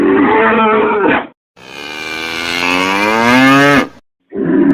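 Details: A cow or bull bellowing: a harsh moo, then a long, clear, tonal moo that slowly rises and falls over about two seconds, and the start of another rough call at the end.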